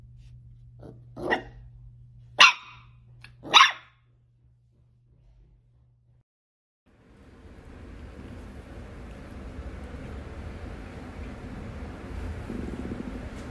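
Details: Miniature dachshund during play: a soft yip followed by two loud, sharp barks within the first four seconds, then silence and a steady wash of broadband noise for the rest.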